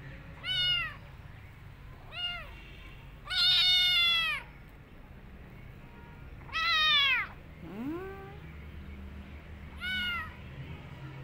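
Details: Kitten meowing repeatedly while running away and hiding in a jacket: about six high, bright meows spaced one to three seconds apart, some rising then falling, one lower drawn-out cry, over a quiet low hum.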